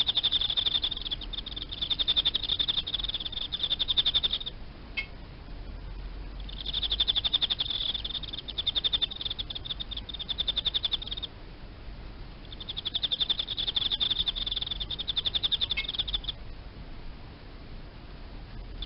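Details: Captive Emma field crickets, kept alongside live feeder insects, chirping in bursts of rapid, high trilled pulses lasting several seconds each, separated by short pauses, over a faint low hum.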